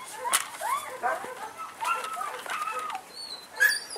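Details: Short burst of high, curving whines from a male German Shepherd puppy in Saratov, Russia, two or three sliding notes in quick succession, with a sharp knock near the end.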